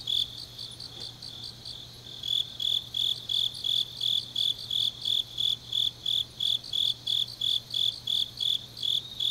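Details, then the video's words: Grass insects on a deep autumn night in Changnyeong, Korea: softer pulsing for the first two seconds, then loud, shrill chirps about three per second with a fast, thin trill above and a steady low hum beneath. "깊은밤 가을 풀벌레 소리"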